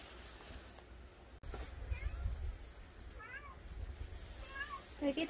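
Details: Cats of a rural cat family, including the white cat Kkaebi, outdoors at night in the countryside after a burst of running about. Several faint, thin, rising-then-falling meows come at intervals over low rumbling background, with a woman's voice nearby.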